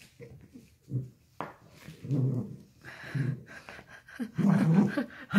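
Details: Dachshund playing with and catching an octopus, making a series of short, uneven low grumbles and snorting breaths indoors, building to louder rough growling near the end.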